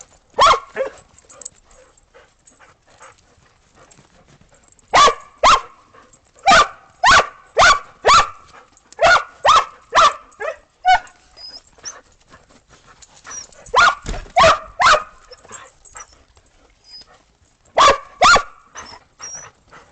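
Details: Australian Shepherds and a Boston Terrier playing in snow after a snowstorm, December 15, 2022, before breakfast; sharp barks in quick bursts of two to four, with short pauses between volleys, a few faint higher yips.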